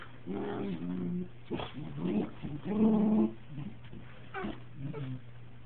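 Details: Pair of Cocker Spaniels, two years and eight months old, kissing with mouths touching; a few short throaty, whiny grumbles with brief rising tones, separated by quieter snuffly pauses and a faint steady hum.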